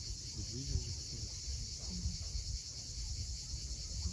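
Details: A steady high buzz from cicadas fills a sunset scene on the steep coast of Cape Fiolent, Crimea, while sea waves rumble low and faint brief tonal sounds drift in.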